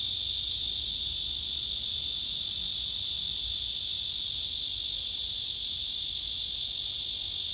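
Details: Male cicada singing a serenade to a female below him, who backs away as if refusing; a steady, dense high-pitched buzzing drone, unbroken throughout.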